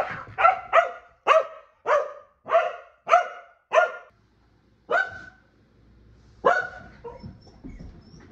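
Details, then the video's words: Kumo the Keeshond gives a rapid string of seven sharp, ringing barks close together, then two separated single barks, trailing off into soft background rumble. "Keeshond Barking Compilation!"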